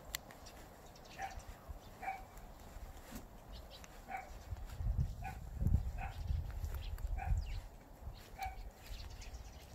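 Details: Dog barking near a countryside house with stone walls along a rural road; about seven short, distant barks come irregularly every one to two seconds over a steady low rumble of wind.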